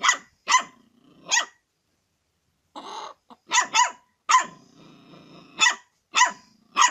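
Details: Dog barking while wanting to eat chicken: loud, sharp barks in quick pairs and singles, separated by short gaps with a low growl-like hum and a brief rattling noise between bursts.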